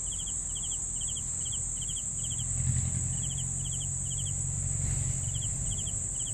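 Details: Crickets chirping in short bursts of three quick pulses, repeated steadily with brief pauses, over a constant high-pitched whine and a low rumbling background.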